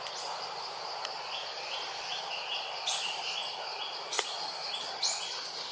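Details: Young monkey named Jazzy crying loudly because another monkey, Jane, does not come to help; long high, thin arching screams, each sliding up and down, repeated about four times with short breaks, over a steady background hiss.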